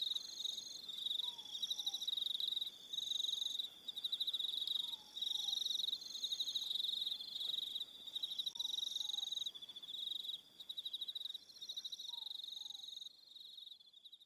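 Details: Crickets at evening on Aroha Island in New Zealand keep up a shrill pulsing chorus in stacked high bands, broken by short pauses. Soft lower falling double notes sound roughly every three to four seconds.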